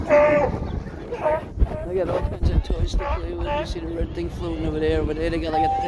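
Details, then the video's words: Sea lions making noise: wavering, bleat-like harmonic calls rising and falling, several in succession, with people talking and crowd chatter throughout. "Sea lions, making noise"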